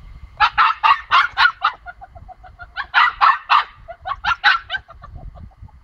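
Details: Bentley, a female pomsky puppy, barks while shut in, wanting to get out to her pomsky companion Boy; high, yappy barks come in quick clusters of three to five, with short pauses and softer yips between them.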